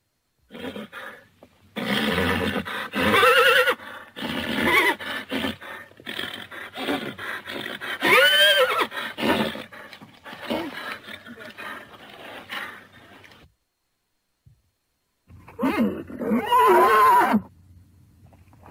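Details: Thoroughbred horses neighing: a series of loud, harmonic whinnies with wavering, rising-and-falling pitch, several in close succession, a brief pause, then one more shrill whinny near the end.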